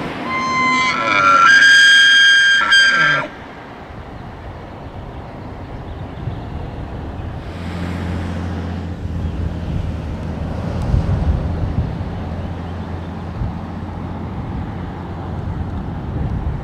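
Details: A big bull elk gives a loud, high, whistling bugle lasting about three seconds during the rut in the Canadian Rockies, followed by a low engine rumble; Elk (Cervus canadensis), bugle.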